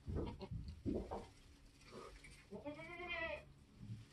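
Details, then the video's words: A Nigerian goat giving birth on a homestead utters a wavering, nasal bleat that rises and falls, preceded by low human speech and rustling. "nigerian goats being born start to finish"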